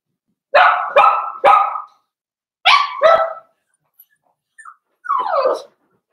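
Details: Blenheim Cavalier King Charles Spaniel puppies from a litter of five born on New Year's, indoors in their puppy pen: three sharp high yaps in quick succession, a pause, two more yaps, then a longer squealing bark.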